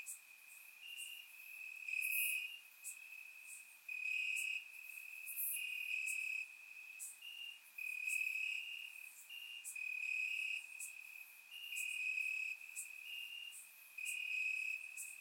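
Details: Crickets chirping in grass on a warm summer night in Bulgaria, recorded with a surround microphone: a steady high trill with louder pulsing bursts every second or two, several insects overlapping, brief bright clicks above.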